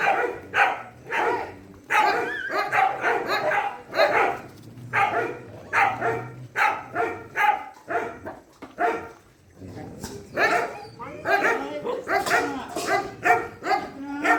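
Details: Dogs at a shelter during night feeding bark repeatedly, loud irregular barks about once a second from several animals, overlapping at times, with a low hum underneath.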